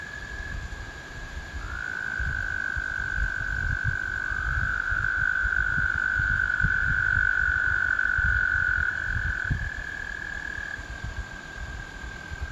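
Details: American toads harmonizing in spring, with long musical trills overlapping: a fainter trill at the edges, a louder one swelling in early and holding about eight seconds, and another layered over it midway; low background rumble.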